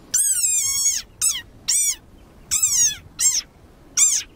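A desert rain frog gives shrill, squeaky cries like a dog toy, the war cry of an angry frog.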